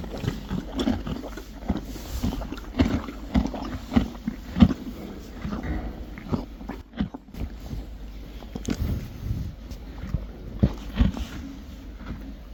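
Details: Friesian horses and foals eating hay: irregular crunchy chewing and rustling, with denser bursts of grinding and occasional louder bites.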